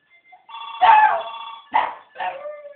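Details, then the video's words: West Highland White Terrier pet singing along as a telephone rings: one long wavering howl followed by two shorter, rougher howl notes, with a faint voice in the background. "Archie the howling (singing) westie haha"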